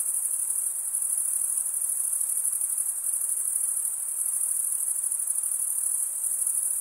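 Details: Male crickets stridulating, wing rubbed over a toothed comb-like vein to chirp; an even, very high ringing buzz runs throughout, finely pulsed, with a soft hiss beneath it.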